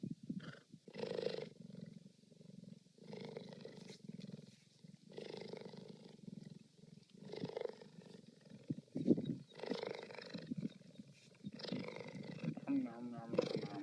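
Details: Cheetah (Acinonyx jubatus), purr.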